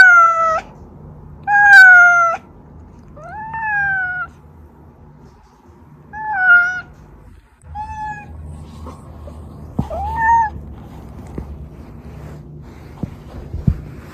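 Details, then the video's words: Domestic cat Oz calling, played to lure hidden household cats out; a series of strong harmonic meows, some rising then falling, about every two seconds, with low background hum and a few clicks. "고양이 부를때 들려주면 쪼르르 /고양이들 유인할때/고양이 울음소리"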